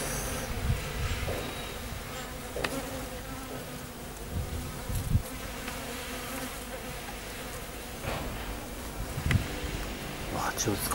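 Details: Many honey bees at knotweed flowers at a house in Thailand make a dense, low wing hum. Short louder surges mark individual bees passing near, over a steady background drone.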